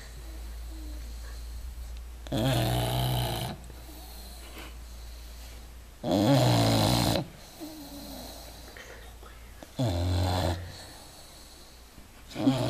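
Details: English Bulldog sleeping deeply, snoring loudly: three rough, broadband rasping snores about four seconds apart, each lasting roughly a second, with quieter breathing between and a low steady hum in the background.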